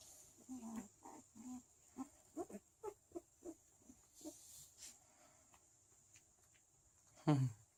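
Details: Thirteen-day-old Chow Chow puppies at a small Swedish kennel, sixth litter, indoors: a string of soft, low grunting squeaks about every third of a second, then one louder, falling whine at the end, with a quiet voice nearby.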